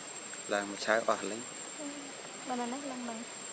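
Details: Hungry baby monkey Lucie crying for milk: a few short harmonic whimpers, then longer thin whining tones that dip and waver, over a steady faint background hiss.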